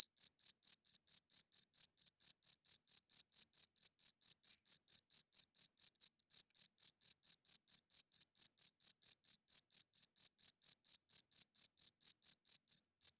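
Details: Cricket heard at night, chirping loudly in a long unbroken run of bright, high pulses about four per second, barely faltering once near six seconds; no other sounds present.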